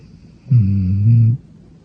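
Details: Pet dog asleep on a sofa with its head pressed against its owner, snoring: one low, steady, harmonic snore lasting just under a second, with a soft hum before and after in a quiet indoor room.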